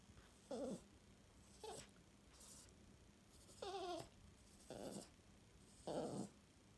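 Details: ['English Toy Terrier, a female, indoors and eager for her morning tea. Short, harmonic, whining grunts come in separate bursts about once a second, some wavering slightly, with quiet pauses between them.']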